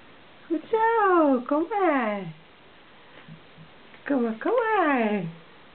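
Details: Welsh Springer Spaniel puppies from Misty's litter, 18 days old, just beginning to walk and yap indoors; two drawn-out, harmonic-rich whines slide downward over about a second each, separated by a short quiet pause.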